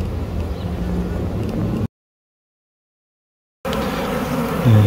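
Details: A huge honey bee swarm, the third swarming, hanging in a peach tree, makes a deep, continuous hum of countless overlapping wingbeats; the drone breaks off abruptly for a moment, then returns with a rumble of background noise.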